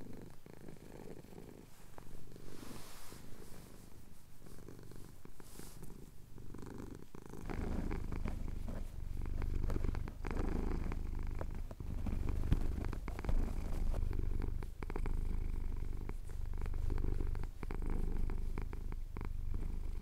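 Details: Pet cat, male, purring during a chin scratch at Cotswold sunrise, captured on a Tascam DR-07X; the deep continuous rumble starts quieter and grows louder midway, pulsing with each breath, amid light rustling.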